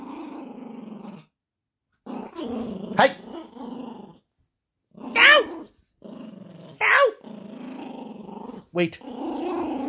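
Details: Indoor play session with a Yorkshire Terrier puppy and a monkey toy: bursts of low rumbling growl separated by pauses, punctuated by sharp high squeaky yelps, with a person's voice at times.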